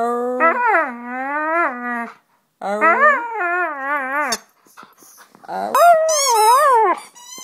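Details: Pet dog howling indoors on 25 November 2010, encouraged by its owner making sounds; three drawn-out howls, each wavering up and down, with a tremulous, higher third howl and short gaps between.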